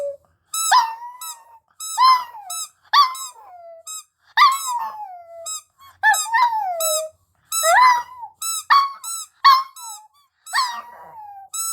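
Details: Puppy singing and howling indoors: high, squeaky yelps, each trailing into a short howl that slides downward, repeated about every second through the clip with brief silences between.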